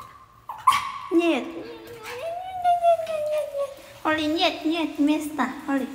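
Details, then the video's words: Holly, a pet dog, cries: a high thin whine drops into a long, steady, drawn-out wail, then breaks into wavering, harmonic whimpers, with people talking nearby. "Cún yêu Holly khóc nhè"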